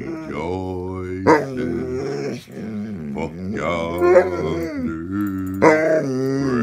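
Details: A basset hound howls in long, wavering, drawn-out notes, singing along as a person sings the Christmas carol "O Holy Night".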